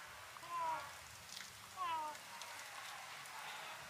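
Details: A kitten mewing with its mouth opened wide: two short, thin, slightly falling mews a little over a second apart, over a soft rustling background.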